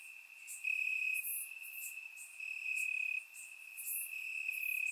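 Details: Crickets in grass on a warm Bulgarian summer night, surround-microphone recording; an unbroken high thin trill with a few sharper chirps overhead, volume swelling in slow waves.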